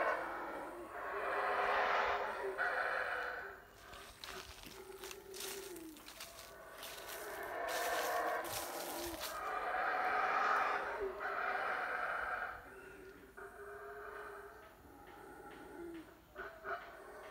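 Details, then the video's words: Deep guttural roars from wild howler monkeys in a Guatemalan jungle, rising in long surging bouts separated by short lulls, with rustling and crackling from movement through the vegetation between the howls. "Wild Howler Monkeys Sounds in Guatemala"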